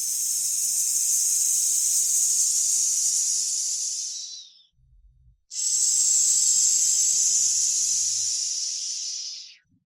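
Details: Snake hissing: two long, steady, breathy high-pitched hisses of about four seconds each, separated by a brief pause with faint low rustling.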